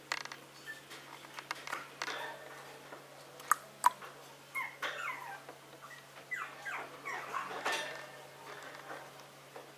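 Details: Maltese dog called a cute little prince, indoors, giving soft high whimpers and squeaky whines in short curved bursts, some rising and falling, scattered across the stretch with faint rustling and clicks between them.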